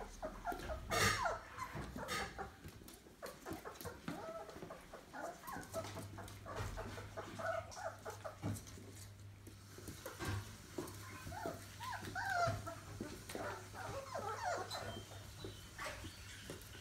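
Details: Labrador Retriever puppies, 28 days old, in a crowded litter at a breeder's; scattered thin whimpers and squeals amid rustling and shuffling, with a low steady hum in the background.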